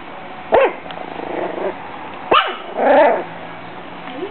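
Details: Bailey, a 6-week-old Pug/Jack Russell mix puppy protecting her food and water from a bag, lets out two squeaky yaps and a longer whining growl over a noisy background.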